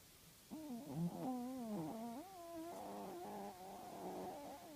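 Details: Tinker Toy, a male Chihuahua and loud snorer, sleeps with his eyes open; after half a second of quiet, a continuous wavering, tonal snore with stacked harmonics rises and dips in pitch until the end.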